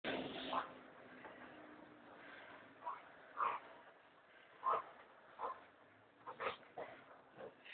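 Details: American Staffordshire Terrier indoors, reacting with an 'alarm call' because its owners are lying in bed; soft, scattered whines and grumbling moans in short bursts roughly every second, with quiet room noise between.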